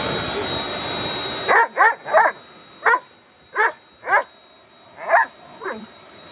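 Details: Central Asian Shepherd puppy barking repeatedly, about nine short, bright yaps at irregular intervals of roughly half a second to a second, after a noisy opening with a steady mechanical tone.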